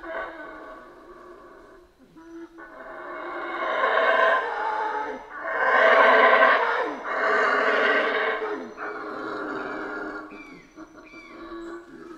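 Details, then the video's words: Howler monkeys calling in a Central American rainforest, guttural roars rising and falling in several surging waves, the loudest in the middle, with softer grunting howls between and after. "Rainforest Howler Monkeys Sounds"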